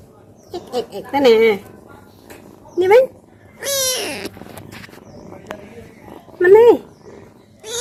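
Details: Domestic cats playing with their owner indoors: several short rising and falling meows, one higher squealing cry near the middle, with a woman talking between calls and soft purring in the background.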